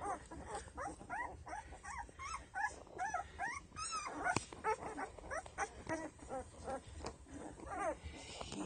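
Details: Ten-day-old Doberman puppies from Penelope's litter, eyes just starting to open, give a steady stream of high, arching whimpers and squeals, several every second, overlapping one another above a low rustling background.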